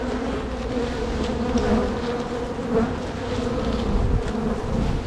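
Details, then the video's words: Honey bees from one of two crowded hives likely to swarm, droning during a spring hive split. Smooth, unbroken low buzzing of many bees, with little other noise. "Bee Hive walk away split and relocation"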